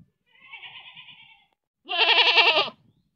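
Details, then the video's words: Goat in Manpur village bleating twice: a faint, wavering first bleat, then after a short pause a louder, strongly quavering baa lasting almost a second, with quiet background otherwise. "Goat Baa Baa Goat Sounds Best goat sound"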